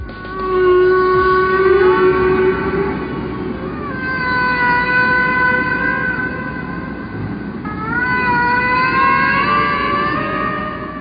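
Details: Humpback whale song: long, sliding, harmonic tonal moans, each drawn out for several seconds, forming long, repeated rhythmic sequences of sounds.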